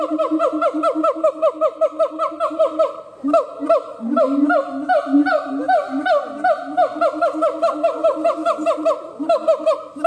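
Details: Siamang gibbon howling: a fast, steady run of short, harmonic, swooping hoots, about two or three each second. A deeper, sliding tone enters midway, then the rapid looping notes return.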